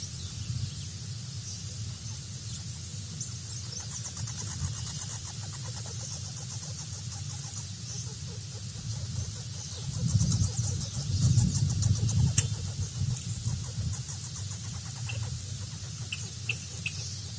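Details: A feisty wild red squirrel, a native species rarely seen at BWHQ, asserts who's the boss with a long run of rapid, rattling pulses over a steady low rumble, growing louder midway, with faint high chirps above.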